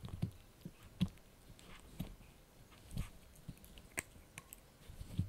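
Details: Blue, a Yorkshire Terrier puppy, crunches a dried bunny ear: sharp crisp bites roughly once a second, each a brief crackling burst with low thumps, in a quiet small room.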